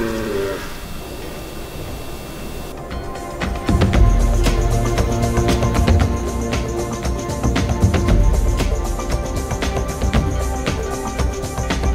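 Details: Music plays throughout, with low rumbling and percussive beats and no animal call. No animal voice stands out above the music.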